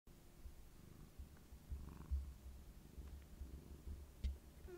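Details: Tabby cat purring while rubbing affectionately against a person's knee indoors; steady low rumbling purr with soft pulsing swells, faint rustling in the background.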